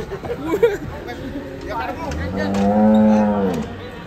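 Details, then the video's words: A cow bellows during a loose, rampaging group of cattle, a drawn-out, loud, rich moo rising to a steady low tone and fading, after softer lowing and crowd chatter. "Kumpulan sapi ngamuk lepas"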